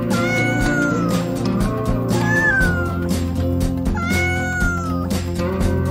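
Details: Domestic cat meowing in drawn-out, falling tones, with three long meows spread across the clip, set over steady loud background music with a beat.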